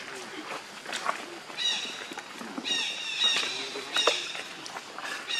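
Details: Hungry baby monkey Leo crying to beg milk from his mother: thin, high squealing wails in several short bursts, steady in pitch, with rustling and scattered clicks between them.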